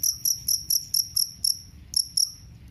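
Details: Jangkrik kalung cricket, a sound said to drive away rats; loud, high chirps repeated about four per second in short bursts, with a low background hum.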